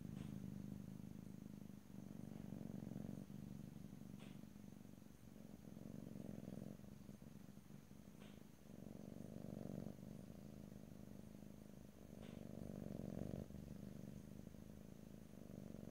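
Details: Pet cat purr in stereo, no talking: deep continuous rumble alternating between inhaled and exhaled phases every second or two, with faint soft clicks above.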